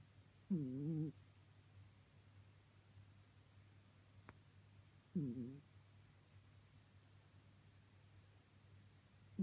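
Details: Bengal cat named Ten snoring while asleep, low and quiet: two short wavering, whistly snores about five seconds apart, with a third starting at the end, over a steady low hum.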